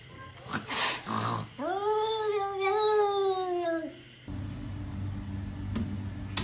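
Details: Kitten meowing: one drawn-out, tonal meow lasting about two seconds, rising sharply then holding level and fading, preceded by rustling and followed by a low steady hum.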